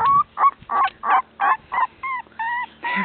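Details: Young beagle pups out of their bed and away from their mother cry in a steady run of short nasal whines, about three each second, evenly spaced and similar in pitch.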